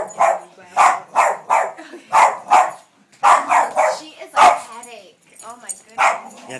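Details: Boston Terrier female barking at a vacuum cleaner indoors, a rapid string of loud sharp barks, some paired, with brief pauses and vacuum hum throughout.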